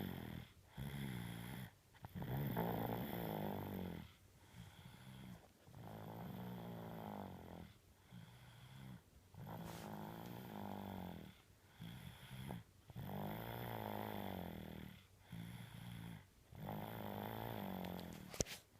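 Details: Tengo, a sleeping dog, snores steadily. Each drawn-out, low, rumbling inhale-exhale cycle lasts one to one and a half seconds, with brief quiet gaps between them. About a dozen snores follow one another in an even rhythm.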